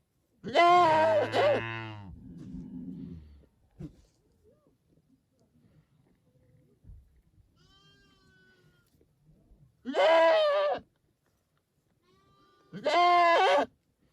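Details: Bleating domestic goats: a long wavering bleat followed by a lower, rougher call, then after a quiet stretch two short, sharp bleats about three seconds apart.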